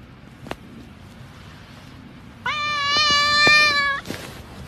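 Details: Kitten from a cute cats compilation gives one long, clear meow lasting over a second, pitched fairly high with a slight rise then steady tone, after a quiet room with a few soft clicks.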